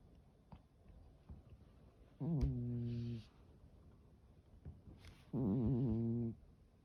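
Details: Norwegian Forest Cat snoring while asleep indoors: two long buzzy, harmonic rumbling breaths about three seconds apart, each lasting roughly a second, with quiet breathing between.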